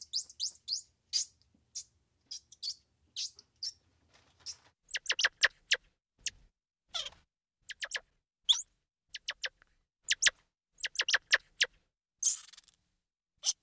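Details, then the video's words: Squirrel monkey giving rapid series of short, high-pitched chirps and peeps, some sweeping downward, in irregular bursts over quiet background. "Squirrel Monkey Sound"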